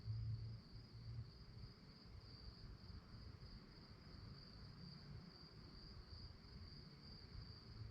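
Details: Crickets at night, a continuous high-pitched trill held at one steady pitch throughout, with only faint pulsing, above a constant low rumble.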